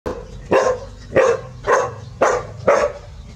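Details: Village dogs Pao and Rank barking seriously at a snake the family met: five loud, harsh barks in quick succession, each about half a second apart, with a low rumbling hum beneath.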